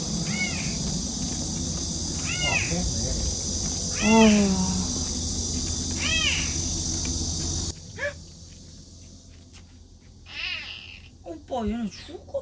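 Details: Hungry domestic kitten crying with all its might in the morning, apparently unfed for several days and waiting for its mother; spaced arching meows about every two seconds over steady high-pitched noise, then fainter cries later.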